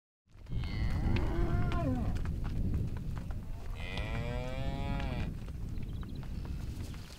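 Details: Cows let out into their new pastures in spring. Two drawn-out moos are heard, the second higher and longer, over heavy rumbling wind or handling noise.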